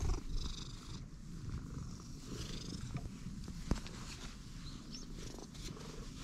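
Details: Purring stray cat, friendly right after meeting, giving a constant deep throbbing rumble; a sharp click near the middle and light scratching or brushing sounds on top.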